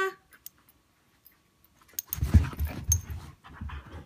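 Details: Siberian husky puppy and an older Siberian husky getting to know each other, playing or fighting; after two seconds of near silence comes a loud, low, rumbling growl with panting that lasts to the end, after a woman speaks.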